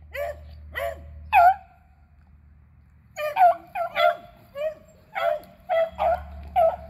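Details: Beagles Athena, Zeus and River hunting squirrels on April 21, 2020; three yelps, a quiet stretch, then a quickening series of overlapping bays with a low rumble underneath.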